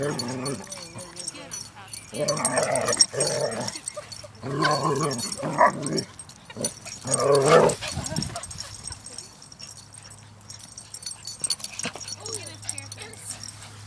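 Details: Dog named Tuff playing with big dogs: bursts of whiny, yelping barks and whimpers in clusters with short gaps, mixed with a person's voice praising the dog, then quieter rustling.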